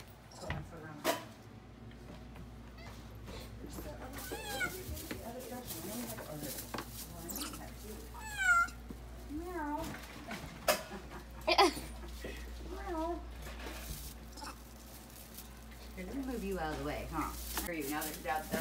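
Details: Baby Java macaque, captive, indoors in a hotel room during a primate event, playing and chasing with a green monkey; repeated wavering, cat-like mewing calls, rising and falling, some with bright upper tones, over frequent human speech and room noise.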